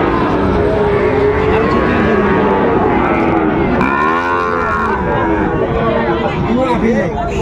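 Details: Sahiwal bull calves of about seven months, at a packed Chattogram market in Bangladesh on 24 October 2025, moo repeatedly in long, wavering calls, one sharply arched mid-way, amid continuous crowd voices and background bustle.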